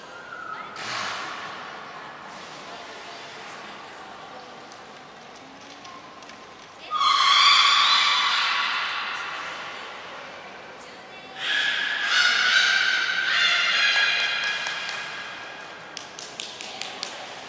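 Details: Beluga in a brief training session at Port of Nagoya Public Aquarium on 25 July 2021. Two loud bursts of rough, buzzy, harmonic squeals rise and fall. A thin high whistle sounds in between.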